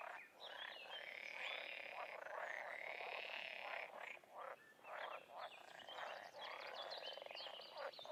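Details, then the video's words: Frogs and toads in the wild calling in a thick continuous chorus, buzzy pulsed croaks layered over high, nearly steady trilling from many animals. "Toads & Frogs in the wild"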